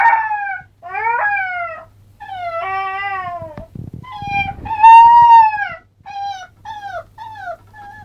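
An Alaskan Malamute puppy howls in a string of short, wavering, rising-and-falling yowls.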